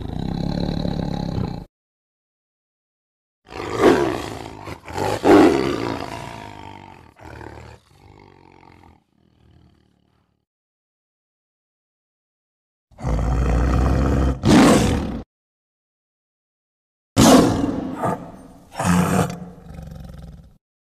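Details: Tiger roars come in separate clusters: a throaty opening, a fading growling series, then two later pairs of loud, harsh bursts, each cut off by silent gaps.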